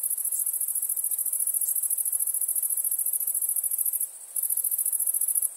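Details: Crickets chirping at night: a very high, fast pulsed trill runs almost unbroken, pausing once for a moment before resuming at the same rapid rate.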